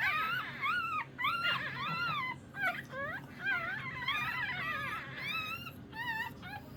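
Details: Several Shih Tzu puppies whimpering together, a dense overlapping chorus of high, wavering whines and squeaks that rise and fall in quick succession, with a steady low hum beneath.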